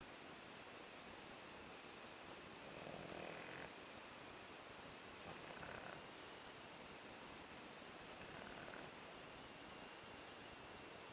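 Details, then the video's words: Tulipa, a pug, asleep and snoring: soft breathy snores rising about every two and a half seconds over a steady hiss of background noise. "PUG dormindo e roncando"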